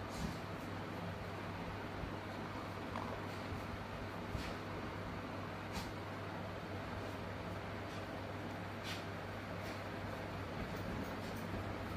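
Steady engine rumble and broadband traffic noise fill the recording, with faint clicks and no clear animal call.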